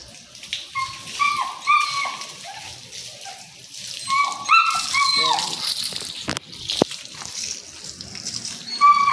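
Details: German Shepherd Dog being bathed on December 5, 2022, whining in a string of high tonal whimpers, some flat and some bending downward, with splashing water and brief human voices.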